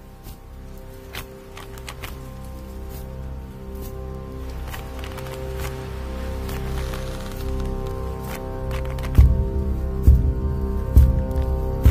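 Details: Steady instrumental music with low sustained tones and a rhythmic beat, without any animal voice.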